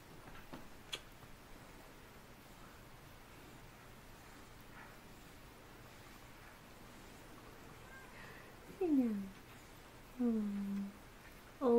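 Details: Female beagle whimpering while giving birth indoors: after a long quiet stretch with a low steady hum, three short, high, falling whines come near the end, each sliding downward in pitch, the last cut off abruptly.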